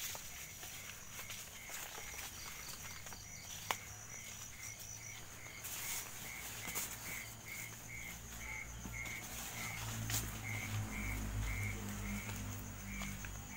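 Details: Crickets at night during an evening outing in which an owl's nest with a chick was found: faint, evenly spaced high chirps, roughly two per second, over a low rumble, rustling and occasional footsteps.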